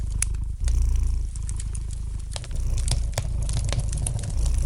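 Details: Domestic cat purring beside a fireplace: a deep, continuous rumbling purr in pulsing waves with short pauses, while sharp pops and crackles from the burning fire snap over it throughout.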